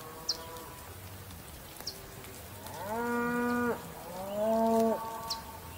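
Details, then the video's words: Bull gives two drawn-out, rich harmonic moos, each lasting about a second. The second moo is louder and slightly rising. Faint high bird chirps are heard between the calls. "Le cri du taureau, son de taureau"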